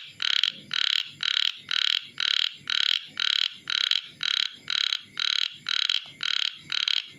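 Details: Calling of a chubby frog: a fast, regular series of short, harsh, buzzy notes with a bright nasal tone, roughly two each second, every note alike, against a quiet background.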